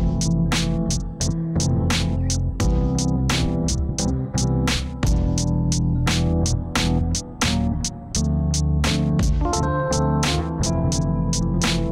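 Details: Synthesized keyboard music plays steadily with sharp percussive beats and layered piano-like tones, and no animal is heard.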